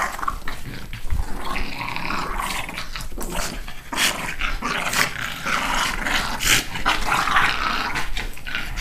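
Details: Two pet dogs, The Dude and Judah, play fighting one morning, biting while one rolls on his back. Continuous rough growls and snarls with yips and sharp scuffling bursts, loud and dense throughout.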